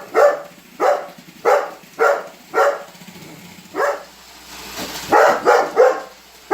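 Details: Weimaraner named Holder barks steadily at a Roomba robot vacuum, single loud barks roughly every half second, then a brief lull with vacuum hum before a fast closing flurry.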